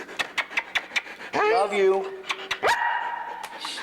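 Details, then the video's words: Foster dog Luca, described as very talkative, lets out a quick series of short yips, then a long quavering whine that slides downward and a second rising whine that levels off, with human voices nearby. "The MANY Sounds of Luca"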